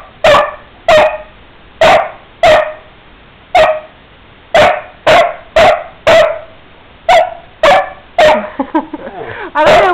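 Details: An angry male Basset Hound gives deep, resonant barks in a loose series, roughly one every half second to second; the owner suspects he wants a cheese cracker treat.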